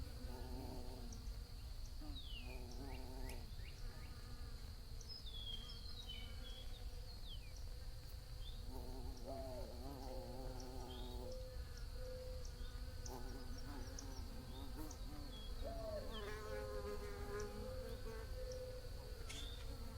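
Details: Bees hum in several low buzzing bursts that swell and fade, some bending in pitch. Birds chirp with short high notes in the background over a constant thin whine.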